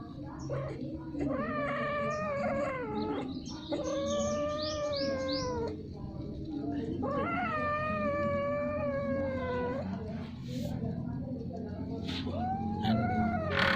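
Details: Domestic cats mating repeatedly and at length: long, drawn-out, quavering yowls lasting two to three seconds each, sliding slowly downward, separated by brief pauses, with a constant low hum underneath.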